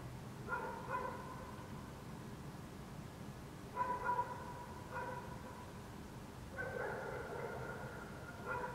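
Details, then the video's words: Distant dogs barking across Helsinki, Finland, at night in June 2014, a waning gibbous Moon overhead; irregular single and doubled barks, with a longer run near the end, over constant low city hum. "dogs barking in the city"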